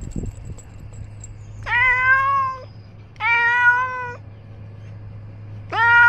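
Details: Ros, a male domestic cat wearing a small clip-on camera as he roams, gives three loud drawn-out meows spaced about one and a half seconds apart. Each is a steady, slightly rising tone with a low constant hum underneath.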